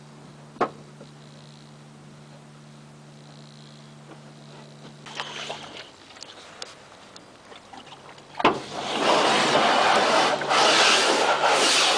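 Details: A steady low mechanical hum with a few sharp clicks gives way to loud, broad rushing noise in the woods.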